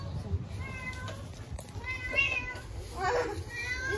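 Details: Starving homeless kittens on an Istanbul street call for their mother: repeated high, wavering meows, a few rising and falling, with traffic rumble and faint speech-like sounds behind them.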